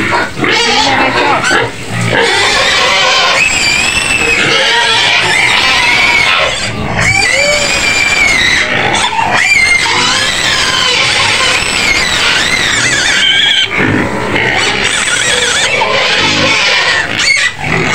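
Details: Screams of a white pig shut in a pen near Medan, Indonesia, begging to be fed: shrill, harsh squeals repeated almost without pause, some bending up and down, with a woman's voice and faint music behind.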